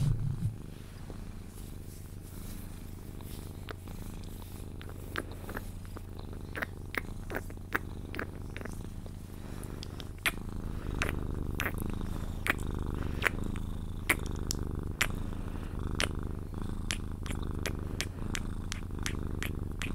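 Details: Cuddled Sphynx cat purring until it falls asleep. A steady low purr rumbles under many sharp, kiss-like clicks that repeat every second or so.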